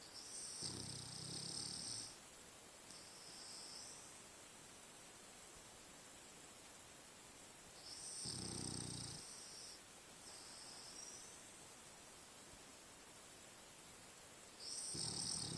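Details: French Bulldog asleep and dreaming after a long, adventurous day in the forest. Quiet, low rumbling snores arrive in bursts roughly every six to seven seconds, with faint steady hiss between breaths.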